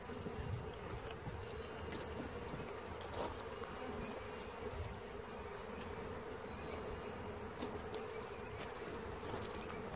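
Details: Caught honey bee swarm humming steadily, a broad sustained buzz with scattered short clicks and knocks over ten seconds.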